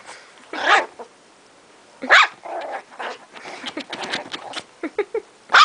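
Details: Indoor female Chihuahua barks sharply three times, the barks separated by rough, rumbling growl-like noise and scuffling.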